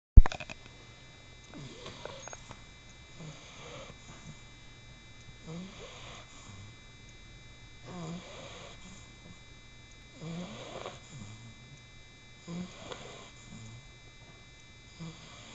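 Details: A 4-month-old male English Bulldog puppy snores in soft, rasping breaths repeated about every two to three seconds, like an old man.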